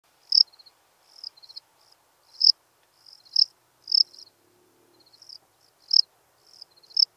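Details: Lesser field-cricket recorded at Breitenbrunn, Austria, on 23 May 2021. High chirps come about once a second, each a run of soft ticking pulses that swells into a loud, bright burst. Some quieter chirp fragments fall in between. The background is near-silent.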